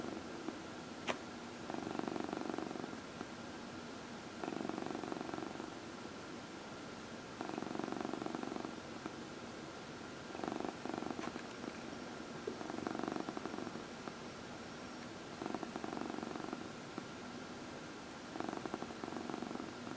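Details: Purring house cat being massaged, one of four cats: long steady purr in regular bursts roughly every two and a half seconds, each inhale-exhale cycle audible as a rise and fall, faint room hiss.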